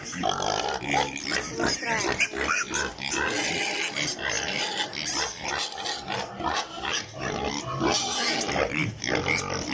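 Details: Piglets on a pig farm, apparently in Italy, crowd together and squeal continuously in high, harsh, overlapping cries with short grunting bursts, making a dense, unbroken chorus.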